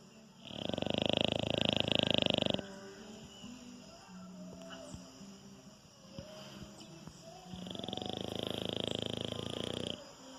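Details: Sleeping French Bulldog named Anitta snoring: two loud, coarse, pulsing snores lasting about two seconds each, separated by around five seconds of softer breathing, over a low steady tonal background hum.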